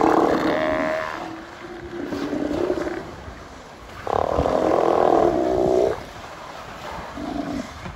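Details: Steller sea lions in Prince William Sound, Alaska, on August 17, 2020, burping before all diving underwater at once. Loud, rough belching roars: a long burst near the start, shorter grunts, then a sustained roar of about two seconds.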